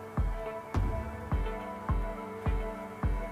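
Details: Only rhythmic music is heard, a steady drum beat with sustained instrumental tones and no animal voice.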